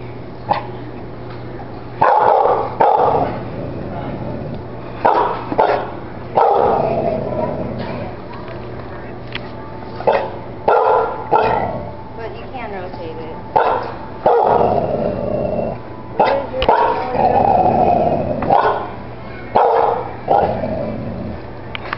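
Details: Male American Bully barking indoors in a store at a toy rocking horse; loud, deep barks in short bursts and singles spread over twenty seconds, with people talking in between.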